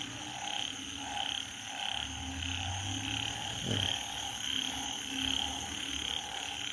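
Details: Banded bullfrogs calling after rain, a repeated chorus of short croaking notes about once every second, with a droning tone and background music throughout.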